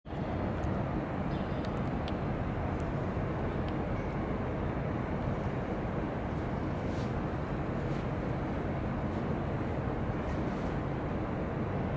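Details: In an urban garden, a loud continuous rumble of passing traffic and engines fills the whole recording, with no animal sound heard.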